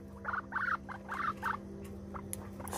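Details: Rescue guinea pig Pipsqueak, a male, utters four bright squeaky chirps in quick succession, then falls mostly quiet apart from a couple of faint squeaks and light clicks over a low hum.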